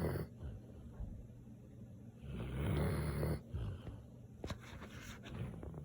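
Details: Sleeping Samoyed giving a low, rough snore that swells loudest in the middle, flanked by softer rasping breaths and a few faint clicks near the end.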